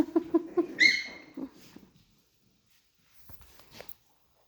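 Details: Chihuahua puppies in Missouri playing around a mop during floor cleaning: a quick run of short, gruff pulsed growls, then a thin high whine, a few softer grunts, and a brief scuffing noise after a pause.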